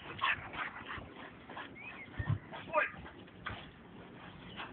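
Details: Two young dogs at play, a 10-month-old American pit bull terrier and an 8-month-old Staffordshire, friends; short high whimpers and yips break out among scuffling noises, with a person's voice calling.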